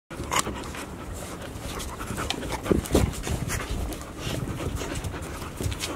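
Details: Five Golden Retriever puppies, 144 days old, pant rapidly while playing together, with soft scuffling and brief low whimpers; filmed 15 September 2018.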